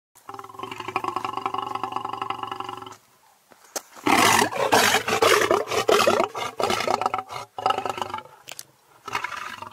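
A lion opens with a long, low, droning moan rich in overtones. After a short pause it breaks into loud, rough, full-throated roaring, ending in a few shorter grunting bursts.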